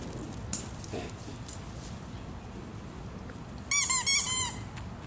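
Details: Playing with a ball indoors, the rescued foster dog Naples lets out a rapid string of about five high-pitched, squealing yips after several quiet seconds filled with a low, steady background rumble.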